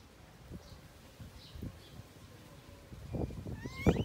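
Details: Baby monkey named Tony crying angrily at not being nursed; low thumps and handling noise fill most of the clip before a sharp, rising squealing cry near the end.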